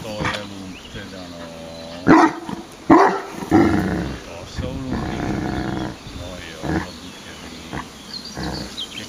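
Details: Irish Wolfhound Leon voicing displeasure, nervous about an iron object he cannot identify; a few loud, harmonic, bell-like yelping calls around the middle, with people talking throughout.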